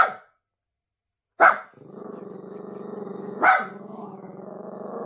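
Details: A nervous Miniature Pinscher lets out short sharp barks about two seconds apart, each one followed by a long, steady, low growl that rumbles on between them.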